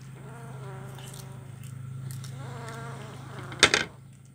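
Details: Kitten eating fish bones in Kuala Kapuas, Central Kalimantan, Indonesia, recorded Wednesday 17 July 2019; two drawn-out, wavering harmonic mews over a steady low hum, then a sharp clatter near the end.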